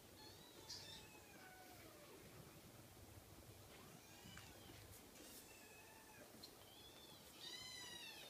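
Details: Cream Scottish Fold kitten giving scattered, thin, descending mews at irregular intervals, partly masked by broadband rustling and handling noise. The loudest, brightest mew comes near the end.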